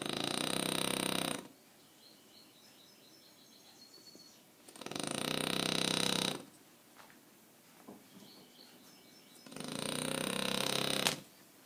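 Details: French Bulldog named Aquiles asleep and snoring, three long raspy, pulsing snores of about one and a half seconds each, recurring roughly every four to five seconds, with soft breaths between them.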